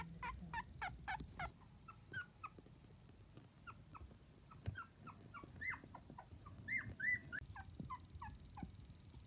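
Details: Miniature Dachshund puppies, a litter of seven aged two to twenty-five days; rapid short high squeaks and chirps repeated several times a second, some upward-sliding, over soft low rustling.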